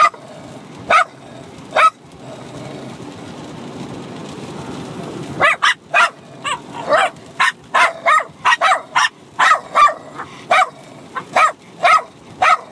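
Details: Bichon Frise puppy of six months and a grown dog barking back and forth in playful fighting; two isolated barks, a quiet stretch with faint rustling, then a fast steady stream of shrill barks.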